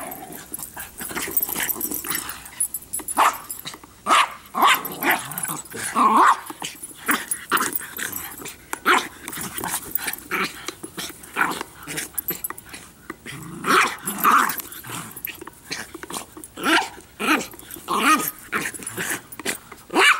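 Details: Bix, Banjo and Button playing with a Jolly Ball: a long, busy run of overlapping barks and growls from several dogs, dense and irregular throughout, with occasional higher yelps.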